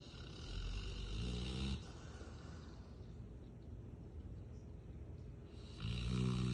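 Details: A female Rottweiler napping snores loudly, with deep rumbling breaths that swell and fade.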